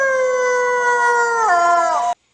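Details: Wolf, a pack animal, holding a smooth, steady, rich howl for about two seconds before the pitch drops sharply near the end, then cutting off abruptly.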